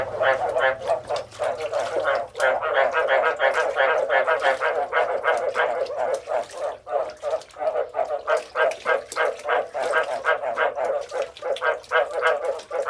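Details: Frogs calling together in a dense chorus of rapid, rattling croaks, about three per second, overlapping without pause, with a faint low hum beneath.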